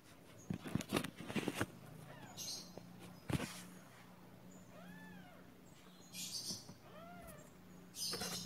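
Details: Pet kittens meowing indoors: several short arched mews, rising then falling, come in a group around the middle, then one more a moment later, with soft thumps and rustling handling noises at the start.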